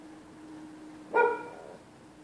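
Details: A neighbour's dog barking at night when people use the public sidewalk; one short, ringing bark with a clear tonal edge, preceded and followed by quiet background with a steady low hum.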